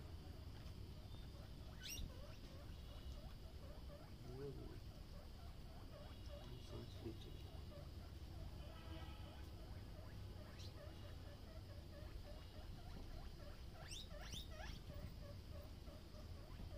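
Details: Many guinea pigs kept at Uttara Ganobhaban Mini Zoo in Natore, Bangladesh, a group grown from three animals; a long run of short, rapidly repeated squeaks with a few louder rising whistles, over steady low rumbling background noise.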